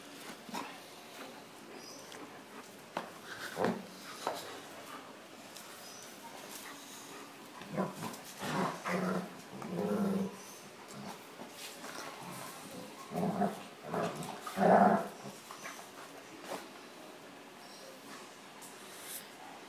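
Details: German shepherd, 15 months old, and a nine-month-old pitbull play fighting: scattered short growls and yaps with quiet stretches between, a man calling out now and then.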